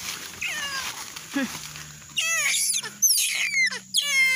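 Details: Baby proboscis monkey separated from its mother, crying out in a series of high, sharply descending, wavering wails in rapid bursts, with a person speaking gently nearby and a steady low hum underneath.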